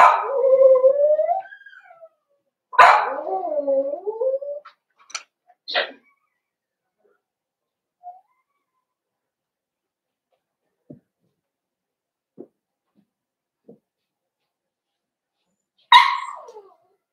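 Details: Cavalier King Charles Spaniel puppies, four weeks old, whimper in their home pen. Long wavering whines come first, then a few short yips and scattered soft clicks, and a final sharp yelp.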